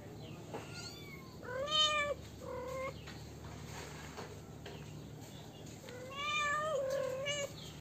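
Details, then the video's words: Kittens giving several short, bright meows of mixed loudness, spaced irregularly over eight seconds, with soft rustling between cries "Kittens Meowing"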